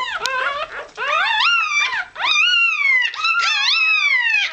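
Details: Irish Terrier pup only a few hours old, squeaking while searching for warmth and milk; a string of high, arching squeals with rich overtones, each rising then falling, separated by brief pauses.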